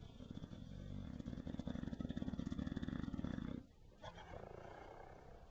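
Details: Sleeping bulldog with a snoring problem: a deep, buzzy, vibrating snore of fast regular flutters lasting over three seconds, then a sharp break and quieter wheezy breathing.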